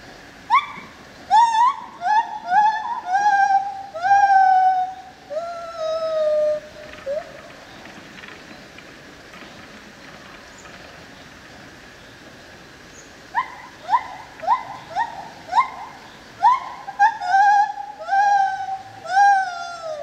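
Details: Lar gibbon, also called white-handed gibbon, at a zoo in Opole, Poland: a series of clear, hooting notes that rise sharply and then stretch into long, slightly falling wails, in two bursts separated by a quiet pause of several seconds.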